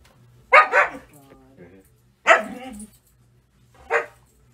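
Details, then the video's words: Two Siberian Huskies contesting the same bed inside a room: three loud, harsh barks or yelps spaced over a few seconds, the first two followed by a brief grumbling tail. "Two Cute Husky Fighting for Same Bed"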